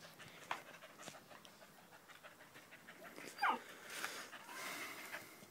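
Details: Danco the dog pants loudly while sticking close to a leg, 5 August 2013; quick breathy huffs, with a brief high squeak partway through.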